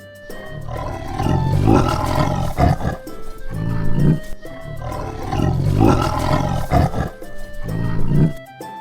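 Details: Tiger roaring in deep, rough bursts, roughly every two to three seconds, over continuous background music.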